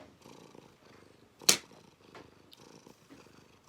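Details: Cat purring during claw clipping. A short stretch of pulsed low rumbling is cut by one sharp, loud snip of the clippers midway, with the purr resuming after it.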